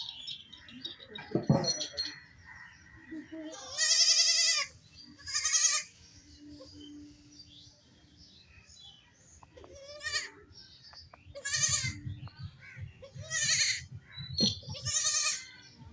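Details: Baby goats playing and jumping, with a lone kid crying without its mother; several high, quavering bleats of about half a second, spaced irregularly, with rustling and a brief low thump early on.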